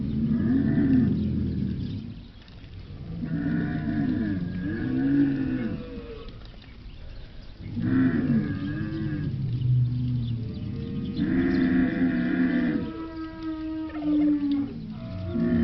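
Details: Camel bellowing repeatedly in deep, gurgling, wavering groans of one to two seconds each, with short gaps between; the final call becomes steadier and more drawn-out.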